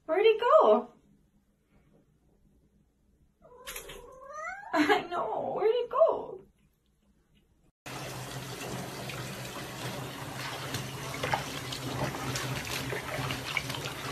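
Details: Pet cat being bathed indoors, meowing in protest: two clusters of harsh, drawn-out, wavering meows, then steady rushing bath water with no further calls.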